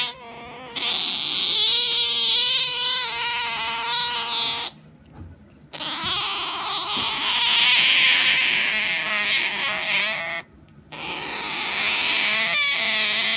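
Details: Otter Genki making a funny noise while being pampered; drawn-out squealing tones under a loud rushing hiss, in three long stretches separated by brief quiet gaps.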